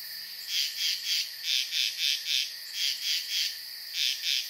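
A frog gives high, rasping pulsed notes, repeated quickly in short bursts of two or three.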